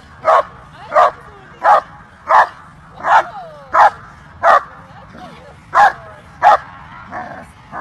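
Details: German Shepherd at a dog show, the 2023 world championship event; a dog barks in steady single woofs, roughly every three-quarters of a second, eleven barks in all, with faint crowd murmur behind.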